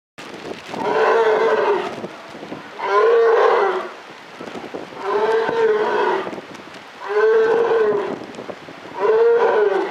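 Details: Polar bear at Maruyama Zoo, Japan, recorded in October 2013, giving five drawn-out, moaning harmonic calls about every two seconds, each lasting close to a second with a slight rise and fall, separated by quiet gaps.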